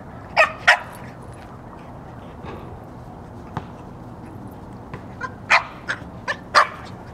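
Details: During a game of fetch with a basketball on a walk at work, pet dog Magneto barks twice sharply at the start, falls quiet, then fires off a run of four or five loud barks near the end.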